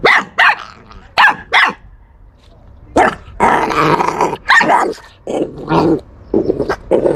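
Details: Dog; growl and barks; guarding its bone, a threat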